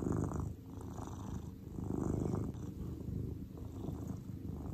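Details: Relaxed grey pet cat giving a continuous deep purr, a low rumbling buzz that rises and falls in gentle surges with each breath, quiet and close with no other clear sounds.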